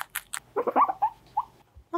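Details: Guinea pig (Cavia porcellus), round with winter coat, gives a quick run of short, soft squeaks and chirps with small handling noises during a weight check.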